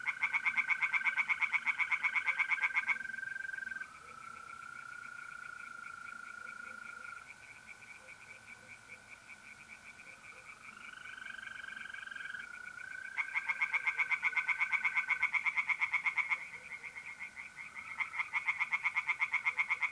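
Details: Night chorus of tree frogs in an Italian pond in April, loud quick pulsed croaks opening and returning after a long pause, while mole crickets keep up a steady, slightly shifting high trill throughout.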